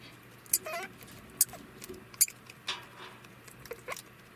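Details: A male degu, estimated 3 years old, gives sharp, high clicking chirps and short falling squeaks after mating: its alarm call while in heat.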